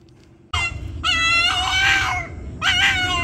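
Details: A vocal pet Boston terrier 'singing': a sudden loud howl starts after half a second and is held, dropping slightly, then a second strained, noisy howl follows, over low rumbling background noise.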